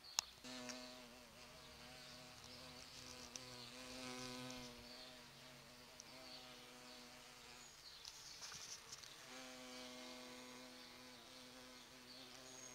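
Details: Large bumblebees pollinating flowering sete capotes (Campomanesia guazumifolia) in a garden in November give a low, steady droning buzz that swells and fades as they move about.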